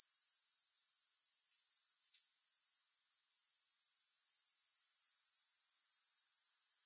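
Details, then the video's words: High, thin grasshopper trill, no music, throbbing in regular pulses about four per second. It dips to near silence for under a second around the middle, then swells back. "Grass Hopper Sounds"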